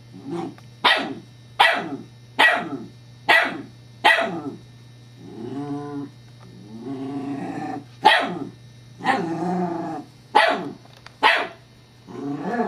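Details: Female Scottish Terrier Evangeline playing with a new teething pacifier toy, 7-12-11: a rapid run of sharp barks roughly every 0.8 seconds, a stretch of moaning growl-whines in the middle, then more barks; steady low hum throughout.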